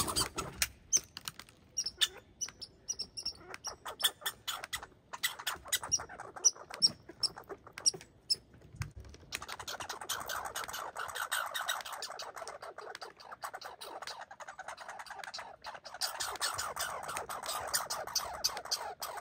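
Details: An injured red squirrel still fighting: scattered dry clicks and ticking pulses with a few thin high squeaks. These give way midway to a sustained, rapid, rasping chatter that continues to the end.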